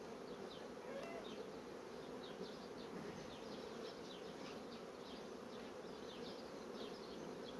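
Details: Continuous buzzing of a honey bee colony busy drawing comb on foundation sheets, a thick even drone with faint higher whines from individual bees flying past throughout.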